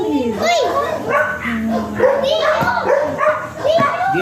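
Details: Teacup Pomeranian stud dog at Bugallion, Pangasinan, giving short, sharp yapping barks roughly every half second, with people talking loudly throughout.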